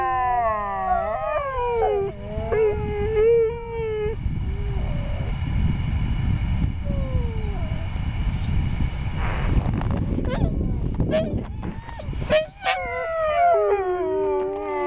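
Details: Sled huskies in Schröcken am Hochtannberg open with a chorus of wavering, falling howls, go quiet under a broad outdoor rumble with scattered yips, then rise into loud overlapping howls again near the end.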